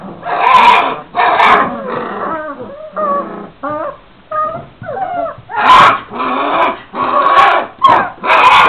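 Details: Young Šarplaninac puppies, 26 days old, alternating harsh drawn-out squeals and grumbly cries with thin bent whimpers in the middle, the loud rough cries returning at the end.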